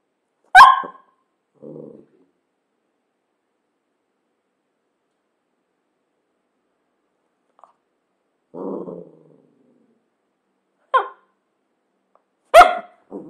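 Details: Cavalier King Charles Spaniel barking sporadically: sharp single barks separated by long silences, with short low grumbles in between, about four barks over thirteen seconds.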